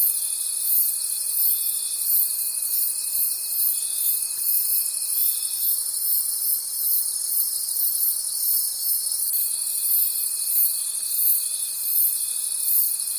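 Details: Crickets in a night forest, a continuous high chirring chorus with regular pulses near three per second; a pure steady whine sounds underneath, pauses in the middle, then resumes.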